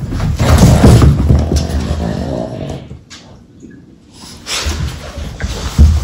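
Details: Two Boston Terriers play fighting indoors on a rug, tumbling and bitey-facing; low rumbling growls and scuffling fill the first seconds, then fade to quiet before a brief thump near the end.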